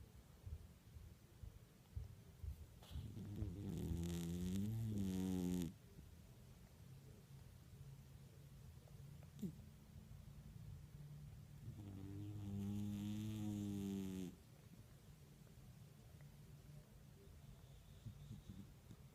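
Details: A sleeping house cat snores loudly: two long, rasping, rhythmic breaths with rich low harmonics, each lasting about two seconds, separated by quieter breathing and low room hum.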